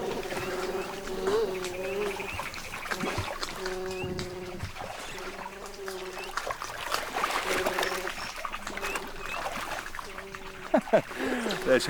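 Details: A group of giant otters on a South American river calls from all around in steady, humming harmonic wails in bursts every second or two, with a man's voice and trickling, splashing water.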